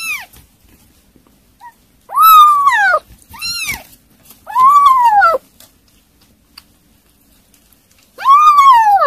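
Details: Kittens at a meal of weaning food, giving four loud, arched meows with strong harmonics, each rising then falling, separated by quiet gaps of one to three seconds.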